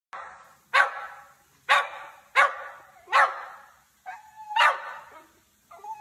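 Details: Dog, described as a puppy, barking about five times in six seconds: sharp, bright barks at irregular intervals, with a brief whine-like tone between the later barks.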